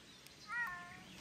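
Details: Ragdoll cat on a countryside walk in Sweden, meowing while being called to come; one short tonal meow with a slight rise and fall, fairly faint against quiet outdoor background.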